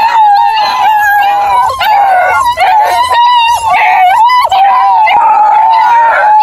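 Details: Ten Bluetick Beagle cross hound puppies howling together near Kingston, Ontario, Canada: a continuous chorus of overlapping, wavering, mid-pitched howls with higher yelping notes over it, held without a break.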